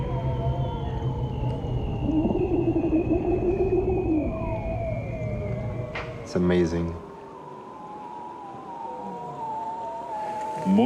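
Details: Ujuk, the bearded seal of Arctic waters, giving long drawn-out whistles that slide slowly down in pitch, one crossing another, with a sharp broadband clatter midway and a low background rumble.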